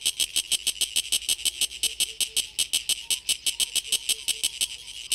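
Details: Song of a Sulphogaeana cicada made by its tymbal organ. Loud, evenly spaced rasping pulses repeat roughly six times a second throughout, each a short broadband click-burst, with faint soft tones in the background.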